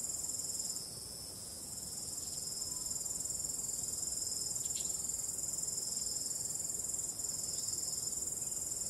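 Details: Night-time cricket chorus under calm wind, a continuous shrill pulsing trill layered in high bands, steady throughout with a brief dip near the start.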